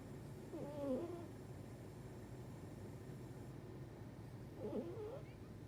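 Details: Sleeping on her side with forelegs stretched, the dog Manon gives two squeaky, wavering whistle-like snores about four seconds apart, with a quiet low hum of the room underneath.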